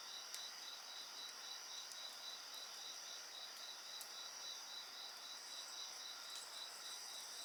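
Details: Insects trilling and chirping over a fire: a rhythmic pulse of chirps, close to four each second, joined by continuous high shrill tones, while the flames give occasional bright crackling snaps.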